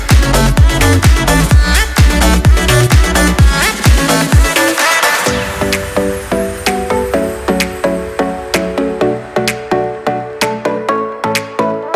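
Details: Electronic dance music with a steady pounding beat and repeated synth notes fills the whole recording; no animal sound is heard.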